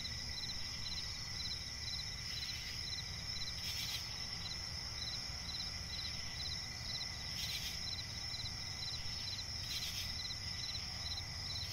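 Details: Crickets calling through the night in a swamp forest, their rapid pulsed chirps ticking steadily under a thin sustained high-pitched drone, with faint rumble below and a few brief noisy swishes.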